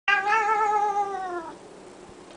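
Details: Pet cat giving one long yodel-like yowl, about one and a half seconds, steady then slowly falling in pitch, rich in harmonics, ending abruptly; quiet room afterwards.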